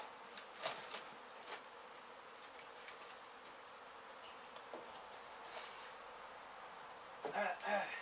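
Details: Honey bees buzzing continuously from a hive hit during demolition of an abandoned house in Mission, Texas, as the colony is removed and relocated; a constant mid-pitched hum with scattered taps and a louder rustling burst near the end.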